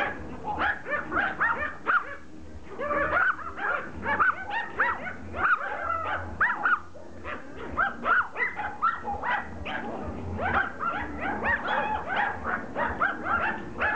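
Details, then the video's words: A pack of Pomeranians going after a rugby ball, barking and yipping almost nonstop in a dense chorus of sharp high yaps, some whiny, with a low background hum. "Pomeranians attack a rugby ball"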